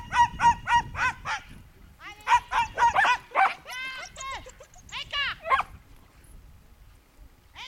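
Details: A young Schipperke at a herding training course in September 2010 gives rapid, high, sharp barks in quick bursts, about three or four a second, then pauses, with arching whine-like calls in between.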